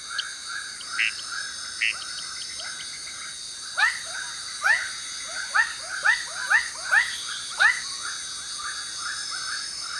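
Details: Borneo jungle frogs singing for mates at nightfall: scattered rising chirps, then a loud run of upswept notes about every half second midway through, all over a constant high buzzing background.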